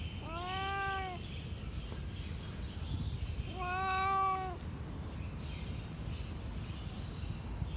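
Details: Domestic cat with blue eyes giving two drawn-out meows, each just under a second long and spaced about three seconds apart, with clear stacked harmonics over a low background rumble.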